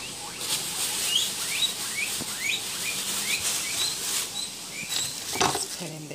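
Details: Abyssinian guinea pigs Gizmo and Cozmo, pets being offered cucumber, give a run of short rising high squeaks repeated about every half second, with a person speaking softly and rustling handling noises.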